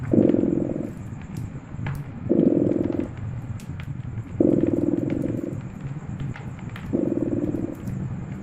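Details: Purring cat beside a cozy crackling fireplace: a low rumbling purr comes in bursts about a second long, roughly every two to three seconds, over soft fire crackles and a faint steady high hiss.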